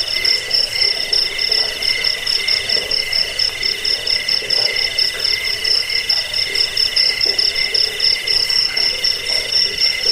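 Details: Cricket sound played to drive away rats, aid sleep and train birds: steady high-pitched pulsing chirps layered in bright bands, running unbroken throughout with a faint low hiss beneath.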